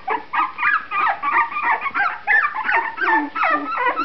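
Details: Young litter of puppies aged 2.5 weeks with freshly opened eyes: rapid string of high whines and squeals, several pups crying together, pitch sliding up and down in quick bursts.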